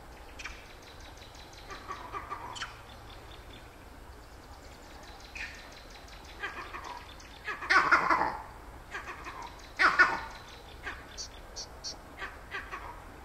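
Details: Vervet monkey on the edge of Lake Naivasha, north of Nairobi, Kenya, giving its distinctive call: harsh, broadband chattering bursts in clusters, loudest around the middle, over a low steady rumble and faint background noise.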